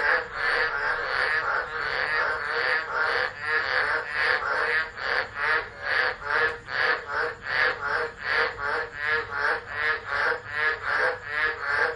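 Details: Tropical frogs calling in a tropical low at Driver, Northern Territory, Australia, 13 December, unattended phone recording: a thick chorus of rough croaks, merged at first, then resolving into a quick regular train of separate pulses.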